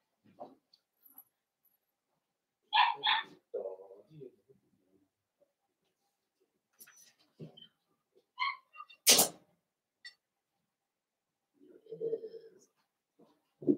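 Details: Blenheim Cavalier King Charles Spaniel puppies, a litter of five born at New Year, indoors in their pen: two sharp harmonic yelps, later a further yelp and scattered snuffles and squeaks, with a person's voice in between.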